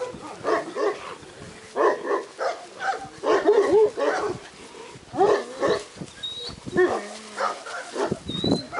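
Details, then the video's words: Litter of purebred Šarplaninac puppies, Yugoslav shepherd breed, at a breeding kennel: a chorus of quick, high, overlapping yaps and whines, bursts coming every second or so, with a few faint thin whistle-like tones. "Chiots pure race berger yougoslave - sarplaninac - sarplaninec"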